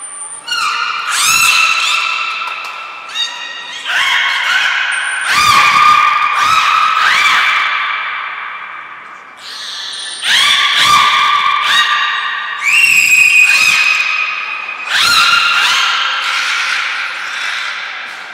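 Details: Belugas Hodoi, Taanya and Mirai in training at Port of Nagoya Public Aquarium on 1 November 2020. Bursts of rich, harmonic squealing come in clusters about every two to three seconds, with short pure high tones and quieter pauses between them.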